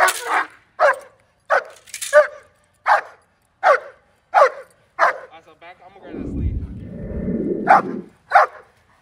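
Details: German Shepherd named Justyce on his first day of bite work training, giving loud repeated barks at an irregular pace; a burst of low rumbling noise interrupts midway before barking resumes.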